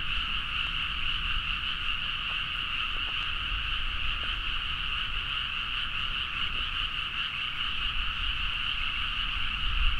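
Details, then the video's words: Many frogs in full chorus at midnight in paddy fields of Nagaoka, Niigata, Japan, Zoom H4n recording; constant overlapping croaks forming a steady drone, with a few brief clicks and soft low background rumble. "The frog sound at mid night (環境,自然音 -深夜のカエル大合唱-)"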